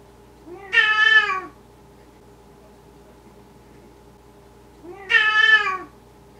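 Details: A Maine Coon cat, recorded in the middle of the night, gives two drawn-out meows, each rising then falling, several seconds apart.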